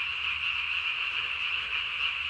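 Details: Night-calling Japanese tree frog filmed 3 May 2020, the chin vocal sac enlarged to body size; a rapid, even, high-pitched pulsing croak fills the whole stretch.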